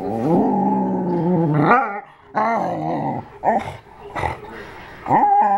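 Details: Indoor pet dog, known to grunt, groan and shriek with pleasure during belly rubs and to sing with other dogs; long, deep, rumbling groan-growls rising at their ends, broken by short pauses, then a rising whine-like ending.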